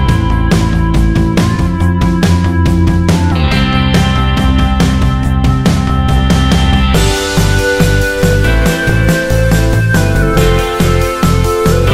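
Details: Loud rock music with heavy drums, driving bass and guitar fills the recording; no animal sounds.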